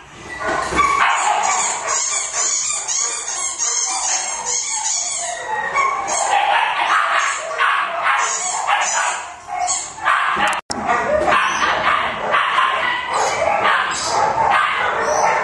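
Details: Sick Pomeranian dog, a small toy Spitz-type breed, giving a dense, harsh run of high yelping and whining cries, almost unbroken for fifteen seconds apart from a brief drop near the tenth second.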